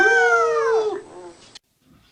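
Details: A beagle lets out a single full-throated howl that drops in pitch and fades out after about a second. Then it goes quiet.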